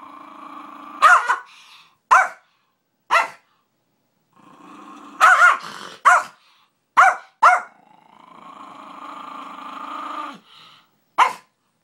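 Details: Bailey, a pet dog, barks repeatedly in short sharp bursts, often in pairs, between stretches of low sustained growling, including a long growl of about three seconds near the end.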